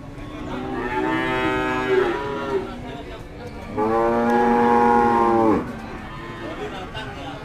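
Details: Cattle at the Kliwonan cattle market in Kediri, East Java, Indonesia: two long, loud, low harmonic moos, the first about a second long and the second nearly two seconds and steady, with murmuring market noise between them.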